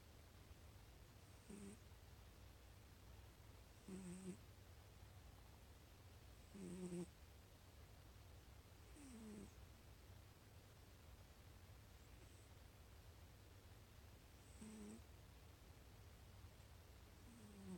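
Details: A cat snores in its sleep, a gentle raspy breath with a slight squeaky tone recurring roughly every two to three seconds against a constant low background hum.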